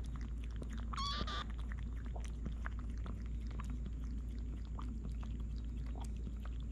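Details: Mother cat, indoors while eating, gives a single short, bright meow with stacked harmonics, holding steady then briefly rising, over continuous clicking chewing noises and a low steady hum.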